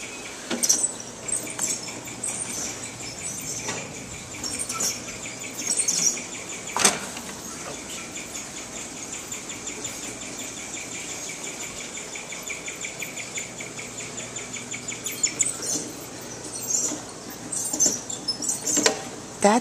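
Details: A guinea pig in a pet store at night chirps in a long, steady, bird-like trill, with scattered clicks and knocks around it.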